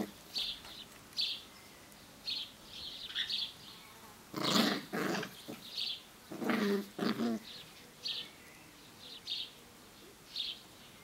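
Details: Seven-week-old Sealyham Terrier puppies playing on a hot summer day at a kennel: two clusters of short, rough growls and yappy bursts, while small birds chirp high and steadily in the background, roughly once a second.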